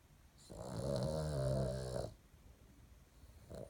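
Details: A small female Boston Terrier, asleep in the morning, snores with a deep, rattling, drawn-out breath, low and rough like a man's.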